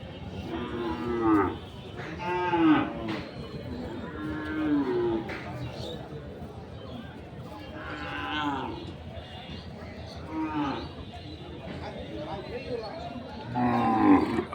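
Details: Local-breed dairy cows with calves at the Ranibandar cattle market in Dinajpur, 30 May 2024: repeated deep, drawn-out moos, about six over fifteen seconds, some rising then falling, among crowd chatter and market bustle.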